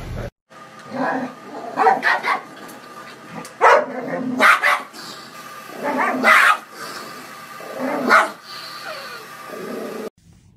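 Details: Dog barking in short, harsh bursts, roughly a dozen spread unevenly over ten seconds, overlapping with human voices talking.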